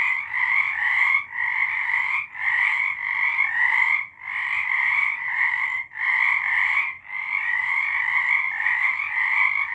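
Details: Frogs singing at night in March 2023: a dense, continuous croaking chorus with two steady bands, middle and high, swelling and dipping in bursts roughly every one to two seconds, no other sounds.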